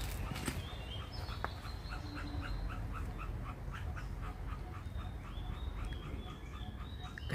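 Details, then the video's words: Indochinese ground squirrel calling near its nest: a quick series of short, sharp chips, about three each second, steady in pitch. Thin higher whistles and a low rural rumble sit beneath. "เสียงฮ้องกระจ้อน พามาเบิ่งรังกระจ้อน"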